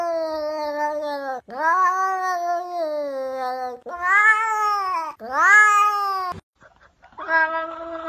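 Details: Sustained cat yowling in several long, loud wails that sweep upward at their start and then sag slowly. Short gaps separate the calls, and a final shorter wail follows a brief silence.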